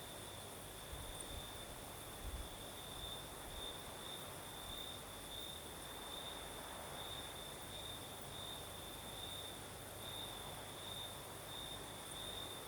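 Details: Crickets chirping at night in Crimea's south with a night breeze; a steady high-pitched pulsing trill continues throughout over soft wind noise and a faint higher hiss.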